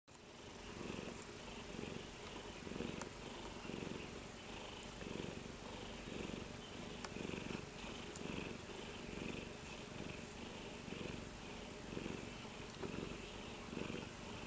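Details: Domestic cat purring softly, a low rumbling pulse rising and falling about once a second, over a constant thin high electronic whine.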